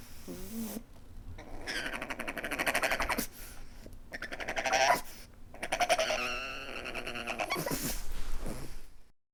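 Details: Pug weeping: a run of drawn-out, wavering, nasal whimpers with rich overtones, rising and falling in pitch, broken by brief pauses over about nine seconds, with a short low whine at the start.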